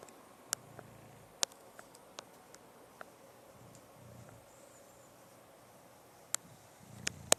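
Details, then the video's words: Max the bulldog asleep and snoring: low, rumbling snore bursts arrive about every three seconds, with sharp clicks scattered between them in a quiet room. "Max the Bulldog Snoring"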